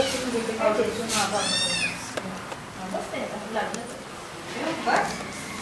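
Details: Kittens meowing indoors: one clear, arching meow rises and falls over about half a second, with fainter mews before and after, while people talk throughout in the background.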